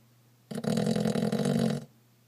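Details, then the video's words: A single loud, harsh, rattling snore from George the pug, lasting just over a second, with a deep buzzy vibrating tone rising sharply and cutting off abruptly, in a quiet indoor room with a low steady hum. "George the snoring pug strikes again!"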